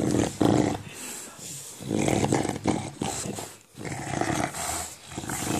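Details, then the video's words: English Bulldog at play with a ball, growling in a gremlin or monster style: repeated rasping low growls in several long bursts, rising and falling in loudness, indoors. "English Bulldog making monster sound while playing with a ball"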